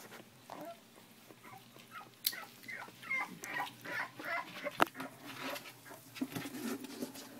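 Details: Puppies at three weeks old, offspring of Jack and Puzzle, squeak in short high whines that cluster in the middle stretch, with soft shuffling and a faint voice in the background.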